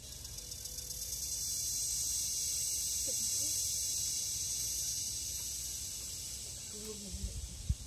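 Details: Philippine forest cicada, local name kuliglig, producing a continuous shrill buzzing drone that swells in the middle and fades slightly near the end, with a few soft knocks at the close.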